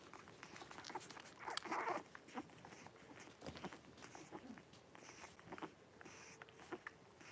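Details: Blenheim Cavalier King Charles Spaniel puppies, five born on New Year's to Paris and Spike, indoors in a home puppy pen with their mother; one short squealing yelp early on, then soft rustling, shuffling and faint squeaks.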